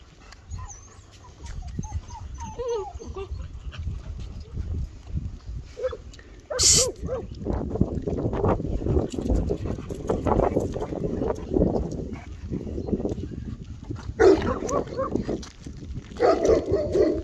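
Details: Eight-week-old black male Bernese Mountain Dog puppy giving soft high whimpers and short yips early on, then louder broken whines amid rustling and handling noise, with a sharp clatter near the middle.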